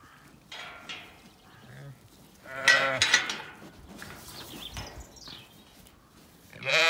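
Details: Several Zwartbles ewes bleating at feeding time on a farm in County Kilkenny, Ireland, before the gate opens; overlapping wavering bleats, loudest around three seconds and again at the end, with faint bird chirps and rustling.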